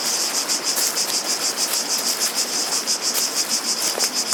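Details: Chorus of cicadas outdoors, a bright sizzling high buzz that swells and fades roughly three times per second, continuous throughout, over a soft background hiss.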